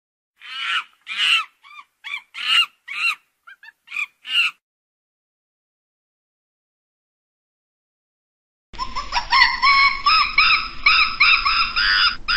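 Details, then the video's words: Monkeys calling: a quick series of short, bright, harmonic chirps, then silence, then a denser stretch of overlapping wavering calls over a low background rumble. "Tiếng khỉ kêu"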